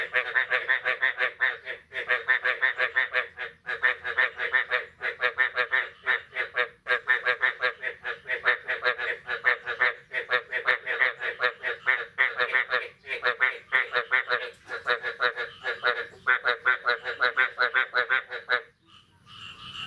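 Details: Frogs croaking after the first rain of the year, on the morning of 9 May 2022: a dense, continuous run of rasping, pulsed croaks, several per second, that breaks off sharply near the end.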